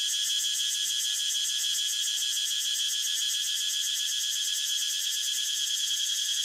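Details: Cicada singing outdoors: a steady, unbroken high shrill buzz with a faint rapid pulsing, filling the whole stretch at even loudness, no other sounds.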